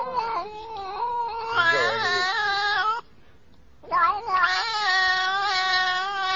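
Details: Domestic cat producing long, drawn-out, human-like yowls with wavering pitch: one extended wailing phrase, a short silence, then a second sustained, slightly rising yowl.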